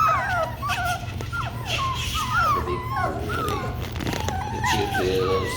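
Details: Labradoodle puppies from Kiwi's litter whimpering and yipping together, overlapping high, wavering squeals that rise and fall, with a person speaking softly to them and a steady low hum underneath.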